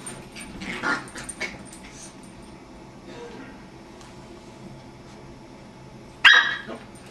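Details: Playful Jack Russell terrier puppy making ridiculous noises with a beagle indoors: a few soft scuffles and faint yips early on, a long quiet stretch, then one sudden sharp, loud bark near the end.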